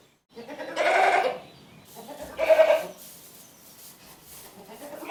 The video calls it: Funny Goat Sounds